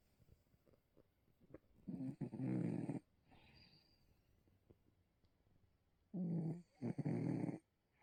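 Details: A sleeping Bengal cat snoring into fabric: two loud raspy rumbling breaths about four seconds apart, each lasting around a second or more, with quiet breathing between.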